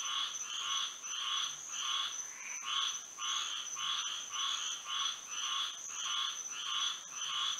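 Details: Moonlit Florida night with frogs calling together, rasping croaks pulsing about every three-quarters of a second, at times overlapping into doubled notes, set against an unbroken high-pitched insect buzz.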